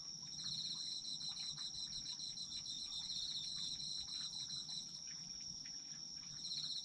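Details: Autumn insects calling together, recorded for sleep listening: a sustained piercing high note and a rapid pulsing chirp that drops away midway and returns in the final second, soft rumbling noise below.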